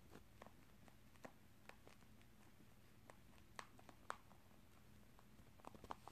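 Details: A rabbit crunches on corn and rice snacks, a favourite treat it only gets in small amounts, with soft, irregular clicks and crackles in a quiet room.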